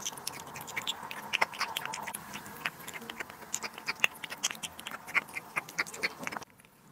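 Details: Domestic cat feeding on duck liver and sterilized egg in a small room, producing sharp smacking bites and moist chewing ticks in uneven bursts, a faint hum beneath, before the sound cuts off abruptly in the last half second.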